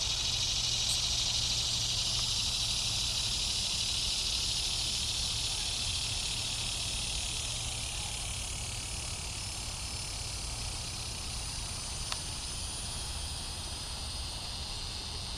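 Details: Several cicadas (Neotibicen tibicen, possibly australis; Neotibicen similaris; Neocicada hieroglyphica, possibly johannis) keep up a steady, high-pitched buzzing drone with low background rumble, Bonaventure Cemetery, Savannah, Georgia, morning of July 5, 2010.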